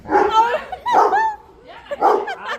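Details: Labrador retrievers in a fight, with a run of harsh, throaty barks and growly yips in three bursts, some with wavering tonal tails, and faint background voices.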